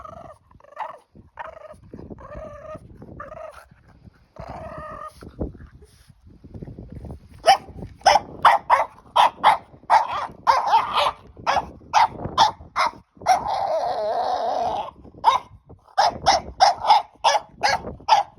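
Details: Margo, a French Bulldog puppy carried away with her new stick, starts with repeated high whiny yelps, then breaks into a rapid, sustained volley of clipped barks and growly noises with little pause, scuffling underneath.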